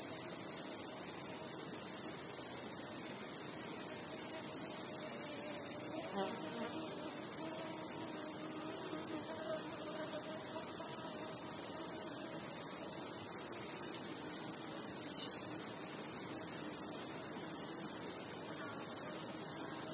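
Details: Many crickets chirping in the dark, forming a constant piercing high trill with a rapid pulsing texture, plus soft low tonal murmurs and a brief faint low sweep near the middle.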